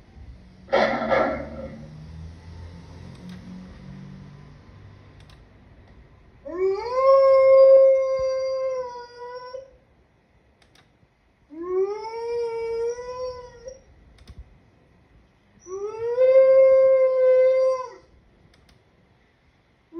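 A wolf gives three long howls, each sliding up at the start, then holding a steady, mournful note.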